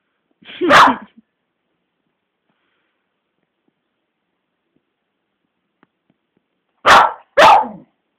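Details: Bella, a pet beagle, goes mad at Cassie, a grumpy 12-year-old black labrador who won't play. Recorded on a phone camera: one sharp, loud bark, a long silence, then two quick barks close together near the end.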